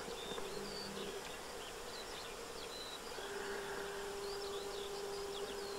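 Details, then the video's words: Eristalinus aeneus hoverflies, several on a building facade at the Séné nature reserve in Morbihan, in winter on 20 February 2023. A steady low hum runs through the second half, with faint high chirps from birds above it. "ÉRISTALE /Eristalinus aeneus/Hiver ! BRUITX"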